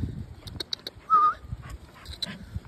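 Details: Two Rottweilers in a disagreement over a chlorine gallon. A short, high, thin whine rises briefly mid-way, among scattered clicks and scuffling and a man's voice asking what's up.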